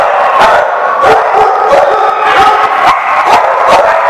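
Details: Dogs at The Barking Lot on 7/11/14 bark in a dense, steady chorus. Sharp barks repeat about twice a second and overlap into a constant loud din with no pauses.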